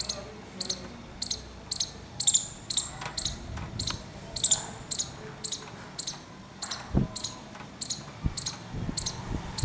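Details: A squirrel's alarm, delivered as a regular run of crisp high clicks about twice a second, with a few faint low knocks in the background.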